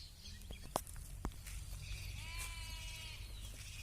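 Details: Sheep on a sheep farm giving a single wavering, harmonic bleat lasting about a second, preceded by a few sharp knocks, over a steady low rumble of background noise.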